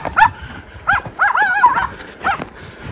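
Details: Miniature Schnauzer brothers Lucky and Levi romp in deep late-winter snowpack in their yard in Aroostook County, Maine, on February 11, 2023: four short, tonal, harmonic yelping barks spaced irregularly over three seconds.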